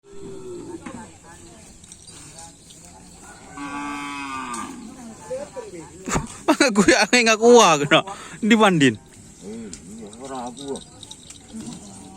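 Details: Cattle at a Karapan Sapi bull racing training session on a Sunday at the Asemanis field, ahead of an anniversary event; loud, wavering harmonic lowing calls bunched in the middle, rising and falling, over crowd murmur and a steady high hiss.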